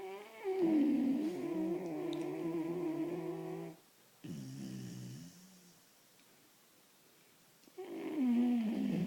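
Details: A very tired male vizsla puppy snores in his sleep with long, rumbling, slightly wavering breaths and quiet pauses between.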